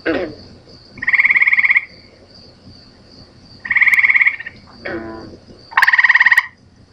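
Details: Gray tree frog song: three short, even, pulsed musical trills, each under a second long, spaced a few seconds apart, with a brief rougher sound between the last two and a faint steady high-pitched hum throughout.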